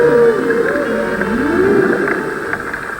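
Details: Wild humpback whales recorded underwater at the Babuyan Islands, Philippines: low, wavering tonal moans that slide up and down in smooth arcs, overlapping over a steady droning hum with faint scattered clicks.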